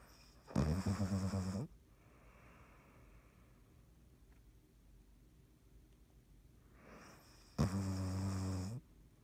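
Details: Dottie, a sleeping cat, snoring on 3.17.19: two loud, harmonic rasping inhalations about seven seconds apart, each lasting roughly a second, with a softer breathy exhale between them in a quiet room.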